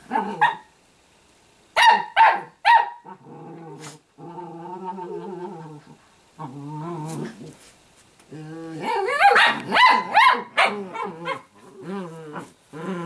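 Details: Pet Italian greyhound puppy named Sparkle gives a few sharp yips, a long steady growl, then a dense run of rapid barks and yips mixed with growling.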